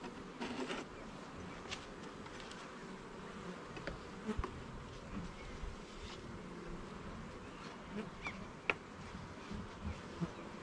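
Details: Honey bees in a garden hive during a frame-by-frame inspection, with no talking: a soft, steady diffuse buzz of many bees, broken by scattered clicks and knocks from handling the frames.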